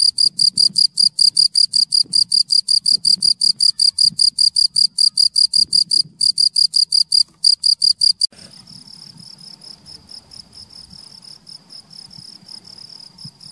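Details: Male cricket in Munich singing to draw a female, who was drawn in and entered his hole; loud, evenly spaced shrill chirps for eight seconds, then a softer, fainter continuous trill under low background rumble.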